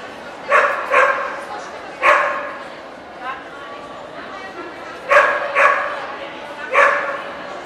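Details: Welsh Corgi, Cardigan and Pembroke breeds, at the NVP Ostrava dog show on 14 April 2012: about six sharp, short barks, two close together near the start, then others spaced a second or more apart, over a steady murmur of indoor crowd noise.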